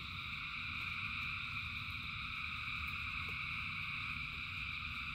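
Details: In heavy rain, a vast gathering of frogs sings as one continuous, even-toned trilling wall of sound, with deep rain rumble underneath and a few sharp taps of drops.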